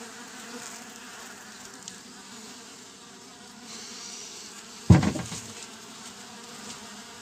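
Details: Western honey bee swarm hums with a steady, low, droning buzz, broken once by a sharp knock, 10 June 2024, 11 days after being placed in a bare Japanese hive with no frames or foundation.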